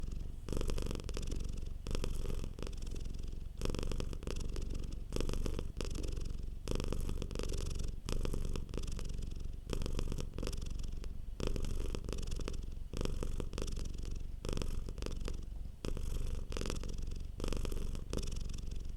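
A domestic cat purrs steadily, a low rumbling vibration that swells and eases with each breath.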